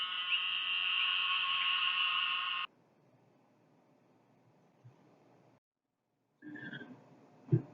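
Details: A very small brown-to-black toad with a pointy head and a skin fold behind its eyes gives a steady, nasal, buzzy bleat lasting a couple of seconds, much like a sheep's. Faint, brief sounds follow after a pause.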